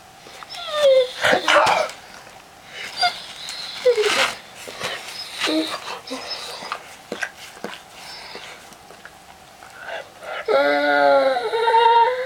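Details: Weimaraner named Bob, indoors in the morning, vocalising to get its owner out of bed: whiny, grumbling moans in bursts, ending in a long wavering harmonic howl-like whine, with a person talking over it in a small room.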